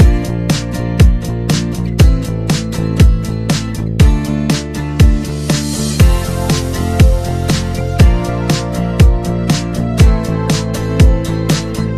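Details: Funky instrumental music with a steady beat and punchy bass runs throughout, with no animal sound heard.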